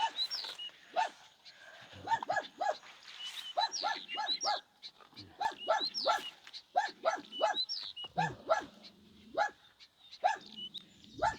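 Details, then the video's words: Small farm dog barking at night during a storm, treating an elderly man as a thief: a long run of short, fairly quiet barks in rapid bursts, with some high chirping sounds mixed in. "Den lille hunden tror jeg er en tyv; han bjeffer hodet av seg!"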